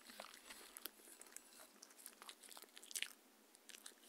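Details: Mindy, a Shetland Sheepdog, eating her evening dinner of raw kangaroo food with coconut oil indoors; brief bursts of crunching and biting clicks, irregular and sharp, in a quiet small room with no talking.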